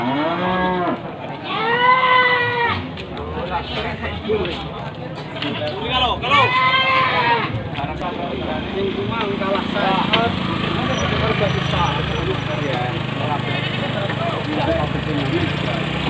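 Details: Pickup full of Javanese and Etawah goats at Panggul market, Trenggalek, Indonesia; a few wavering bleats at the start, then a steady low engine rumble takes over as the vehicle runs.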